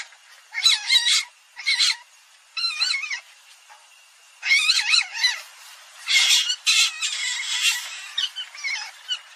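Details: Common palm civet calling in wavering, harmonic squeals and squawks bunched into clusters of about half a second to a second, with short quiet gaps between them against a still background.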